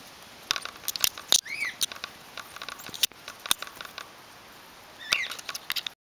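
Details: Little Red flying-fox baby named Reka with her mother, born in care after her mother was injured on a barbed wire fence; sharp clicks and two high arched squeaks near the start, another squeaky burst late, over quiet background.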